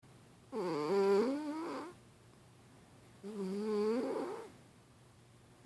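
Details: Milo the pet cat snores while asleep and dreaming in REM sleep indoors. Two long, tonal, slightly wavering snores rise and fall over about one and a half seconds each, separated by a quiet breath gap.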